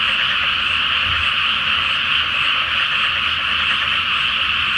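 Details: Nighttime frog chorus from a flooded Japanese rice field before planting, under the full moon; countless croaking voices merge into one constant, bright, buzzing drone, with a faint low rumble beneath.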